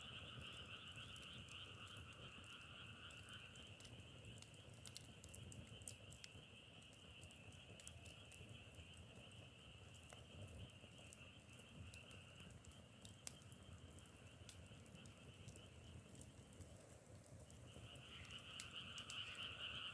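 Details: A frog chorus rings as high steady bands that fade out partway through, leaving low rumble and crackling clicks, then the massed calling swells back strongly near the end.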